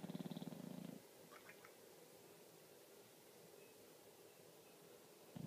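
An English Bulldog snores with a deep, rattling rasp on the in-breath.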